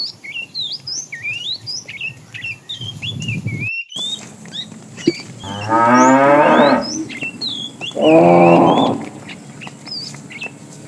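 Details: Cattle herd roaming a road in search of food: steady birdsong chirps throughout, then two loud moos, one lasting over a second and a shorter one about two seconds later.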